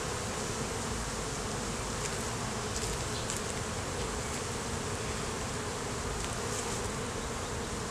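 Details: Dense, even hum of many honey bees at an opened hive during a beekeeper's inspection in the beeyard, captured on a Canon Rebel T6 DSLR; a continuous broad drone with no pauses and faint soft ticks above.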